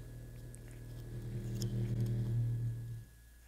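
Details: A deep, steady blue whale moan played an octave too high at twice normal speed, with rattling from objects in the playback room that is not part of the original sound.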